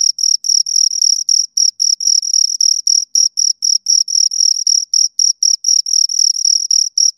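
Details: Shrill chirps from two crickets repeat about four times per second, each pulse short and piercing with a ringing upper overtone, against a completely quiet background.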